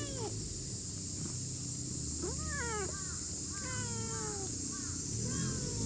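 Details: Chubby brown-and-white stray cat in a park, lying on cool moss, gives a run of short meows that arch up and fall back, several in close succession over a few seconds, above a steady high insect drone.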